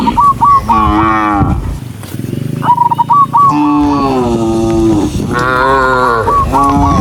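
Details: Herd of cows running down a rural road, lowing repeatedly: several long, deep, harmonic moos of about a second each, with a dip between them, and short trilled high whistled notes before some calls.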